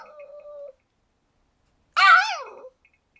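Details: A 15-year-7-month-old pug, with a 1-year-old Cavapoo present, whines, a steady high tone followed by a louder, arching whimper, asking to go outside while it is raining; its usual call, recorded 28 April 2013.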